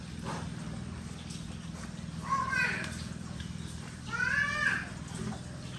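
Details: Piglets on a rural pig farm; two loud, harmonic squeals, the first near two and a half seconds and a longer wavering one near four seconds, rise over a steady low machine hum.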